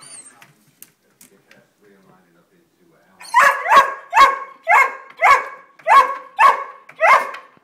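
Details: After three near-silent seconds, greyhounds that have spotted a squirrel at the bird feeder launch into a steady run of eight loud, rough barks, about two per second, fairly even in strength; three dogs, one a foster.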